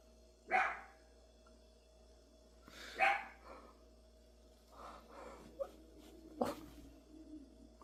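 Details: Three separate single barks from a dog, spaced about two to three seconds apart, with softer scuffling sounds between them and a constant low hum in the background.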